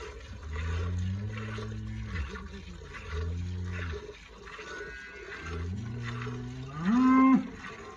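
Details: Red Friesian cross cow during hand milking, a bucket filling from two teats: three drawn-out low moos, each held about a second, the last rising and ending higher and louder, over the steady rhythmic hiss of milk streaming into the pail.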